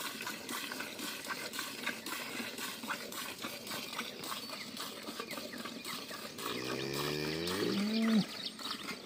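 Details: Jersey cow for sale at a dairy farm: after several seconds of hissing, clattering background noise, a single loud moo starts low and climbs to a strained, higher note before stopping abruptly.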